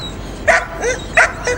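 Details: Domestic dog, played for children in a lesson: two short, sharp barks about two-thirds of a second apart, each followed by a softer yelp, over a steady hiss.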